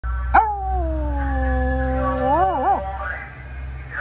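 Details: Cairn Terrier howling at a passing scrap metal truck: one long steady tonal howl that sinks slightly in pitch, then breaks into quick wavering warbles before fading, with a low steady hum underneath.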